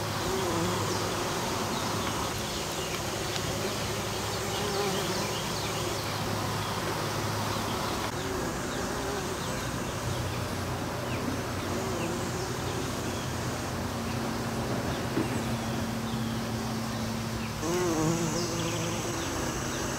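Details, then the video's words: Western bumblebee pollinating the flowers of an American Basswood tree: a steady low droning buzz that shifts slightly in pitch as the bee moves, with scattered faint bird chirps above. "Bumblebee Video - Bumble Bee Pollination"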